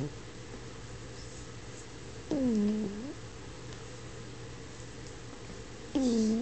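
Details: Sleeping French Bulldog snoring indoors, two tonal whistling snores about three and a half seconds apart, each a steady low hum that dips slightly in pitch, over a constant low room hum.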